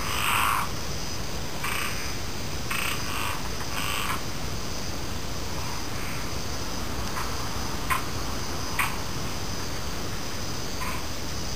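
Frogs give short, rasping croaks at uneven intervals over a steady high insect hum.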